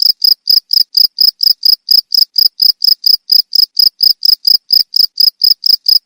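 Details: Steady cricket chirps, offered as a sound to scare off rats; sharp, high-pitched pulses evenly spaced roughly twice per second throughout, clean with no background.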